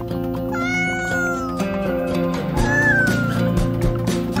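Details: Cat meowing twice, a long drawn-out falling meow followed by a shorter one, heard over steady background music with a low droning beat.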